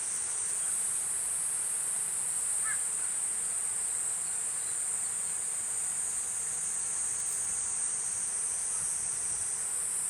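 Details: Platypleura kuroiwae cicada singing: a continuous, steady, high-pitched shrill buzz that holds unbroken for the full ten seconds without pauses, with one faint brief chirp midway through and a soft background hiss.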